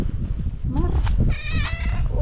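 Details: A female cat meows with her own distinctive voice as she greets her owner on seeing her. Two short rising-falling meows with strong harmonics are heard over a low rumble of background noise and nearby speech.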